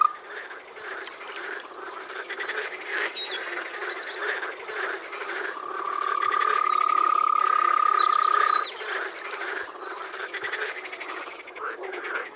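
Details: A spring frog chorus from a Czech pond or wetland: dense, overlapping rattling croaks repeated quickly throughout, a sustained even-pitched trill rising above them midway, and faint high bird twitters.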